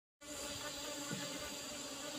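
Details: Asian honey bees (Apis cerana) during a honey harvest from an old-style hive box with a used asbestos lid; a steady, faint hum with even tonal bands, continuous throughout.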